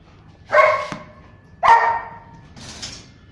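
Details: German Shepherd Dog from a kennel in Rajasthan gives two sharp, full barks about a second apart, then a fainter third bark, against a quiet, low background hum.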